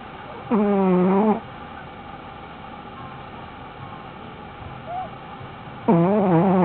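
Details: Shih Tzu named Panda snoring while asleep; two long, droning, harmonic snores, each under a second, about five seconds apart, with a quiet room hum between them.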